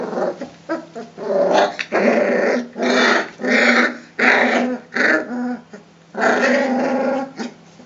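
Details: Three-week-old Rhodesian Ridgeback puppies in a kennel play together, trading rough, rumbling growls in short bursts one after another.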